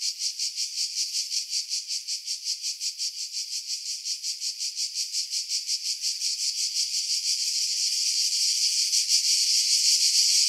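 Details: Cicadas singing in pine trees about 50 m above the sea at Pefkos Bay, Skiros Island, Greece, in July 2018; dense high buzzing chorus pulsing about three times a second, steadying into a continuous drone toward the end.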